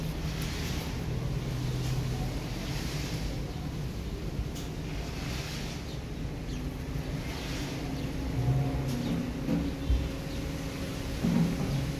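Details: Outdoor wind buffeting the microphone over a steady low rumble like a distant engine, with no animal voice heard.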